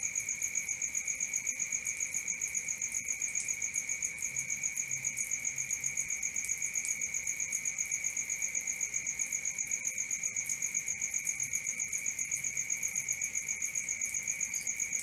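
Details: Night-time cricket chorus, a continuous high trill pulsing evenly about four times per second, with a second thin, very high tone layered above it throughout.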